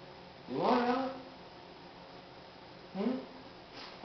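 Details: Two Siamese cats that are very vocal at feeding time; one gives two loud, drawn-out meows that rise and then fall, a couple of seconds apart.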